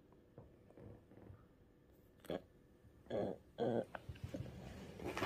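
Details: A sick pug in the middle of a strong seizure, given an antiepileptic drug through the nose, makes irregular wet snorts and throaty grunts, with two louder rasping bursts near the end amid soft handling noises.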